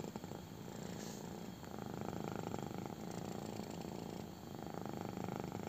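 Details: Kitten purring intensely while getting a belly rub indoors: a continuous low, fine-grained rumbling purr with steady pulses, swelling and easing slightly with each breath, soft rustling of hand on fur throughout.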